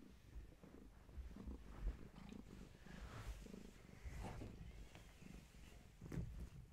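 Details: Bedtime with Gaia, a long-haired tabby mother cat, and her kittens; a low, uneven purring rumble rises and falls, with soft rustling and a brief higher squeak.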